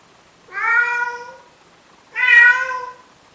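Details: Male cat in Athens, Greece, pleading with a female Siamese cat to mate: two loud, long, rich meows, each about a second long, separated by a short pause in a quiet room.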